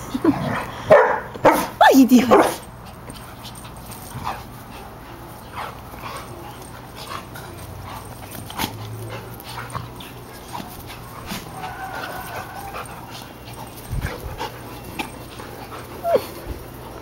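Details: Pet dogs, a Shih Tzu and Golden Retrievers, playing together; a quick cluster of sharp yips and barks fills the opening two seconds, then quieter scattered sounds with human voices in the background.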